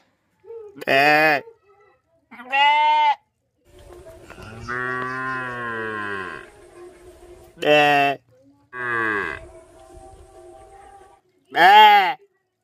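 Jersey cattle give short, nasal moos and one long, wavering, drawn-out call.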